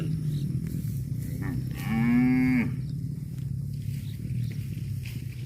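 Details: Cow giving a single drawn-out moo lasting under a second, rich in harmonics and slightly rising then falling, over a steady low rumble of background noise.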